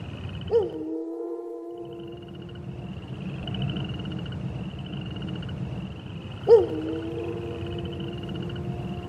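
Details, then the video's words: Wolf howling: two long, steady, low howls that start abruptly and hold a level pitch for several seconds. A constant high insect chirring and a low rumble run beneath them. "Wolf Sounds"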